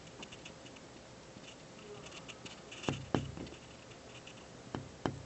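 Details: Squirrel on a windowsill gnawing at an office building in the afternoon: a few sharp, crackly gnawing clicks, mostly in pairs late in the clip, over a quiet indoor background with a low steady hum.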